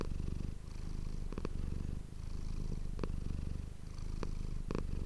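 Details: Close-miked purr from Manis, a house cat, recorded for ASMR: a dense low buzz rising and falling in long cycles, with a few quick double breaks and one clear pause near the middle.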